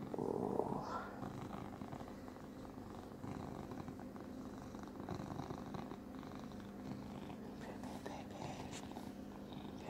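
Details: A male domestic cat purrs with a steady low rumble during morning petting and a tummy rub in Cooktown, Queensland, Australia, growing sleepy while a person talks softly nearby.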